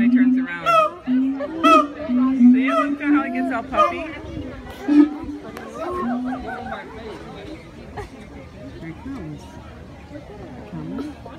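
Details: Siamangs (Symphalangus syndactylus) sing to mark their territory, puffing up as they call: loud, wavering hoots and barks in rhythmic bursts that fade toward the end.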